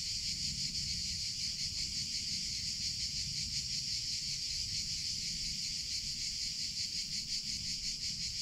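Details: Summer chorus of cicadas, known in Spanish as chicharra or campanero: an unbroken, shrill buzzing drone that pulses quickly and evenly, with soft low background noise beneath.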